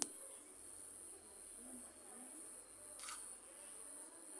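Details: Cricket calling at night by a house: an unbroken, thin, very high trill holds steady, interrupted once near the end by a short sharp click.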